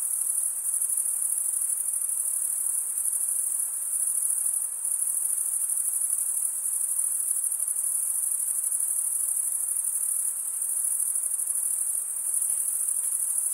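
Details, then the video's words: Crickets keep up a constant high shrill trill of stridulation, mostly males drawing one wing across a comb of teeth on the other, with brief dips in loudness and no other sounds. "Most relaxing cricket sound for 8 hours"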